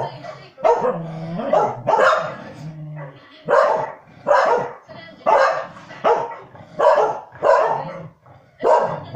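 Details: Corgis Norman and Arthur bark at Country Calendar on television as the dogs on screen move stock. They give strong, repeated barks roughly every half second to second, in uneven bursts, with some speech mixed in.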